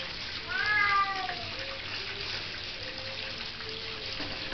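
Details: Young female Bengal cat, fascinated by water, lets out one clear drawn-out meow that slides downward, then quieter faint mews trail off against a constant background of running tap water.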